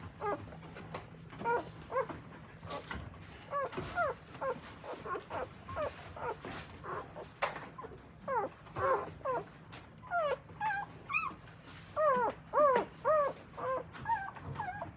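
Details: A litter of newborn Akita puppies squeals steadily while their mother nurses and cleans them in Akita, Japan. The arched whimpers repeat about twice a second, growing louder and clearer toward the end.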